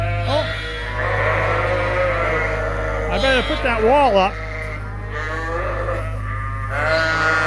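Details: Bleating from Suffolk lambs mixed together in the barn at Ewetopia Farms: drawn-out harmonic calls and a sharply wavering, vibrato bleat near the middle, against a constant low droning hum.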